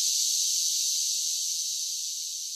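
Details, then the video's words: Summer cicadas singing: a steady, dense, high-pitched hissing buzz with no breaks, fading very slightly toward the end, with no other sounds. "10 Hours of Cicada Sounds for Relaxation with Soothing Summer Nature Sounds"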